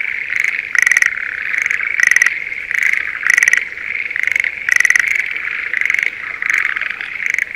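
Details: Breeding-season Schlegel's green tree frogs in a paddy field near Sendai, Japan. Close rattling croaks come in quick pulsed bursts roughly every second above a constant chorus.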